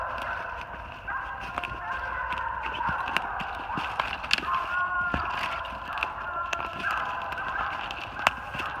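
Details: Three Treeing Walker Coonhounds, Anna an open spotted bitch, Boomer a saddle back male with chop and Big Boy a blanket back male with long bawl, treed on a big den 450 yards off in NJ, 3/28/18; distant drawn-out overlapping bawls under crunching footsteps.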